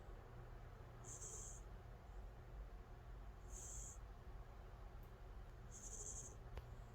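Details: Angttu, a calico cat deep asleep, gives three breathy hissing snores spaced a few seconds apart, evenly timed, against a soft constant background hum.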